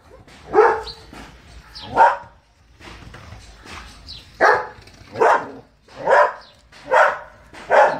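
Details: German Shepherd barking in loud, deep, open barks, about nine over eight seconds, spaced roughly one per second and growing steadier toward the end.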